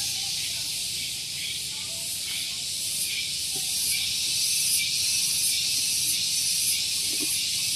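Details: Loud morning cicada song on Gunung Geulis, Bogor, West Java, beside a parking area: a sustained high-pitched buzzing wall of sound with slight pulsing swells, some faint clicks and low background rumble.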